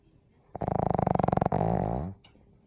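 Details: Pug snoring: a loud, buzzy rattle of rapid pulses for about a second, then a smoother droning tone that slides lower before fading into quiet.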